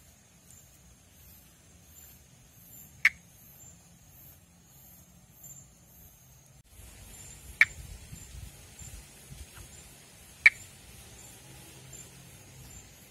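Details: Pithecopus nordestinus, a monkey tree frog endemic to northeastern Brazil, recorded during calling and amplexus: three sharp, isolated clicks a few seconds apart over a steady high insect hum and faint pulsed chirping.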